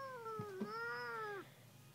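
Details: Indoor black and white kitty answering its owner with a drawn-out, wavering meow lasting over a second, dipping then rising slightly before dropping off, with faint soft bumps underneath.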